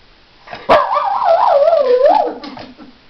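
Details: An angry dog, its wits tested and outsmarted, gives a loud, drawn-out wavering vocal that rises and falls in pitch for about a second and a half, then trails off into a lower grumble.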